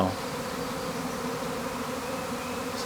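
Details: Swarming honey bees at a hive make a continuous, thick buzzing drone of unchanging pitch, with a short louder noise at the end.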